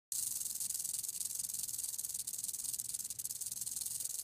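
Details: Western diamondback rattlesnake (Crotalus atrox) in a defensive display, with tongue-flicking, sideways movement and an arched neck, rattling: a continuous, dry, high hissing buzz that pulses slightly and holds steady from start to finish.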